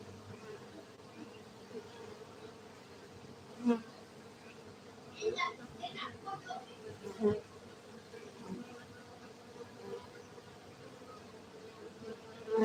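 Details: Hive hum from cultivated honey bees at a Gayo apiary in Aceh, Indonesia: a continuous low drone that holds steady, broken by scattered clicks and taps, the sharpest near four and seven seconds.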